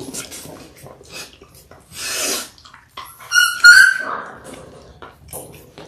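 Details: A Labrador Retriever puppy, about six weeks old, from a litter of six born January 18, 2022, lets out one brief, high whine mid-clip on an indoor puppy cam, surrounded by snuffling, breathy noises and rustling.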